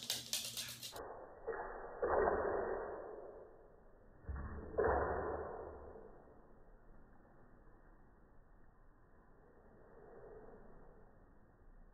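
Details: A brief loud burst, then muffled thumps and soft whooshing movement over a quiet background, with no animal voice.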